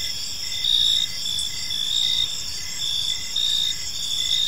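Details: Crickets chirping in a park as evening unfolds, a steady high-pitched trilling chorus with pulsed bursts that swell and fade roughly every second, over a soft background hiss.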